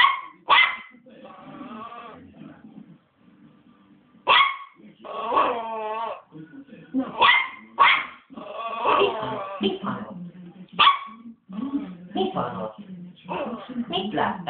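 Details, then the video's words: Three-month-old Westie, angry and barking continuously: high yaps mixed with whiny, wavering yelps, gaps between bursts, low human voices present in the background. "Very angry pup"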